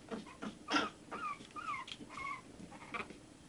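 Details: One-month-old Shih Tzu puppies giving soft, short whimpers: a run of thin, tonal squeaks that bend up and down in pitch, spaced irregularly over a few seconds, with faint rustling and clicks indoors.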